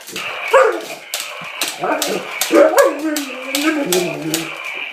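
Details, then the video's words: A pet dog, unsure about a new dinosaur toy, gives whiny, wavering vocalisations and short yips indoors in a small room, with a person speaking and a steady higher tone in the background. "Dog vs Dinosaur"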